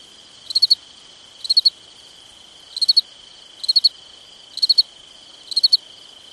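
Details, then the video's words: Cricket chirping at night in summer. Six sharp triple-pulsed chirps come about once a second, with a constant high ringing tone behind them. "Summertime Night Sounds Sleep Noise Crickets Night Stars"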